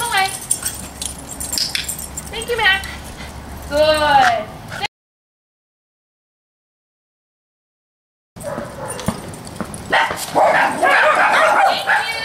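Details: Dogs in a daycare group barking: a run of high, repeated barks and yips with a person speaking, then a silent break followed by noisy chatter and scattered barks.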